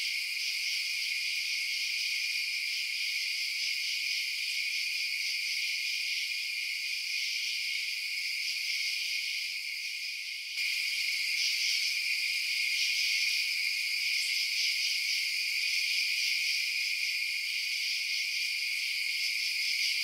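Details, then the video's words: Crickets chirping through the night in a dense high-pitched chorus of rapid pulses; the sound dips briefly midway, then resumes slightly louder. "Night Sounds Crickets Chirping"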